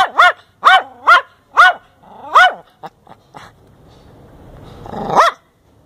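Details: Neighbour's small Chihuahua, angry while being teased, lets out sharp high-pitched yaps in quick bursts, about five in the first two and a half seconds. A low rumble and scattered short sounds follow before one last loud yelp.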